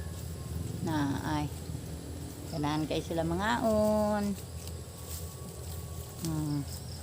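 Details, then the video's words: Domestic goats at feeding time give wavering, quavering bleats with slightly falling pitch, one short call near the start, a longer cluster of overlapping bleats in the middle and a final brief bleat, over a steady low hum and faint voices. "haponan sa mga kambing ko"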